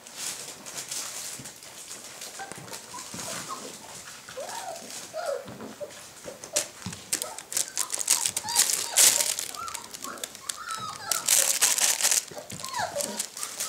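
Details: Puppies indoors near a box, giving many short, high squeaky whimpers and yelps, some bending upward, scattered irregularly and growing busier toward the end, over constant crinkling and rustling.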